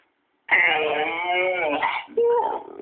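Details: A Siberian Husky gives a long, sliding, wavering howl that rises and falls, ending in a brief higher yodelled yelp, sounding like an attempt at saying "I love you", in a small indoor room.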